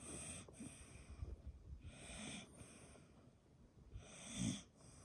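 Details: Sleeping dog, which shares its home with a cat, snoring with rough, wheezy breaths that swell into hissing bursts roughly every two seconds. The room is otherwise quiet apart from a faint low rumble.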